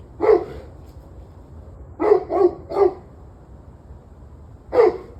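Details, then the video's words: Barking dogs, evening of 21 November 2023 at 7:06 pm. A single sharp bark, then three rapid barks in a row, followed after a gap by one more bark, above a quiet low background hum. "Barking Dogs"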